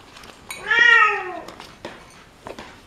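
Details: Cat making a single medium-length meow that swells and then slides downward, with scattered clicks and light tapping noises before and after it.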